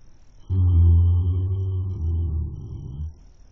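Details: Horse snoring in its sleep, filmed by a webcam: one deep, resonant, humming groan lasting about two and a half seconds, steady at first, then wavering and fading out.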